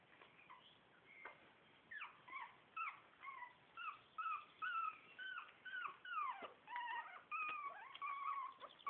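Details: Shih Tzu puppies of litter A, four weeks old, squeal in high whimpers. Short rising-and-falling whines come in quick bursts about every half second, and several pups overlap.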